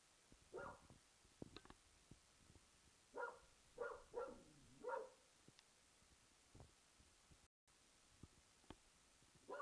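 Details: Archie, an English Springer Spaniel, barking at an old tennis ball in the back garden: a few hoarse, mid-pitched barks spaced about a second apart, one drawn into a falling whine, with quiet taps and clicks between.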